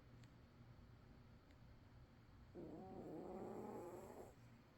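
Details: One drawn-out snore from a sleeping cat, a breathy, nasal rasp lasting nearly two seconds, follows a quiet stretch broken by a few faint ticks. A low hum runs throughout.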